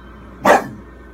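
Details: A 4-year-old female English Bulldog watching a horror film on TV gives a single short, gruff bark against a quiet background, as if warning a girl on screen.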